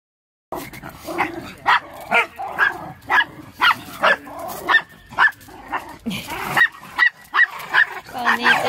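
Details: Toy Poodle and Maltese mix named Tono, a dog devoted to its mama, giving a run of short, sharp yappy barks roughly every half second, some rising into whiny yelps near the end.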